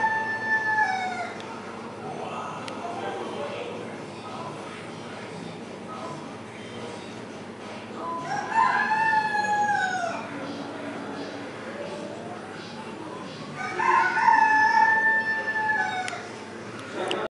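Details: A seal at a quarantine rehabilitation centre gives drawn-out, wailing harmonic calls that rise and then sweep downward.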